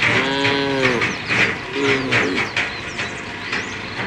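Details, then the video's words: Tame cows of a herd moving toward a field at a forest edge; a couple of short, mid-pitched moos rise over a busy, noisy background full of chirping birds. "the sound of the cows"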